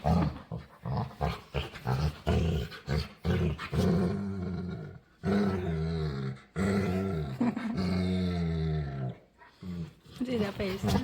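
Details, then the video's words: A demanding female pet dog begs to play. She gives long, low, growly moaning groans with clear harmonic bands, several sustained for a second or more between short grumbles, with music and brief human voices behind. "Cutest Dog Begs To Play | Adorable Dog And Human Compilation Video | Playful Dog Makes Weird Noises"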